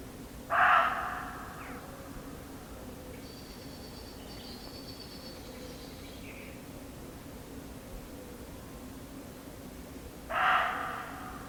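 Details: A muntjac deer in an English garden gives two loud, harsh, dog-like barks about ten seconds apart.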